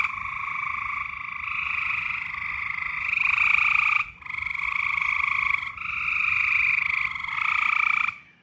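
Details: Mating-season frog chorus of long, continuous buzzing trills, several callers overlapping so the sound barely pauses, with a brief break near the middle and a fade at the end.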